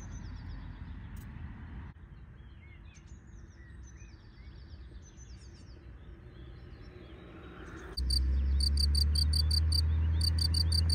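Field cricket sings shrill, high chirps in a steady, rapid series over low wind rumble.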